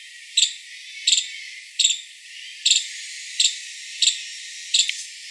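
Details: Five-striped palm squirrel (Funambulus pennantii), call.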